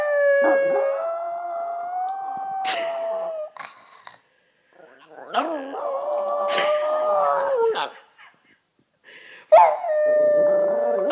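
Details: Pet Yorkshire Terrier howling indoors to copy its owner's howl: three long, steady, mid-pitched howl bouts with faint rising starts and slight wavering, broken by short pauses and sharp noises.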